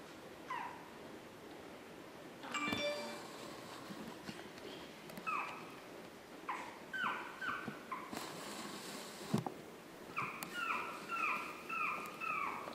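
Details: Chihuahua puppies recorded on 9 April 2016, giving short high squeaky whines that slide downward, in scattered bursts and then a quick run of about six near the end, with soft clicks and a faint background hiss.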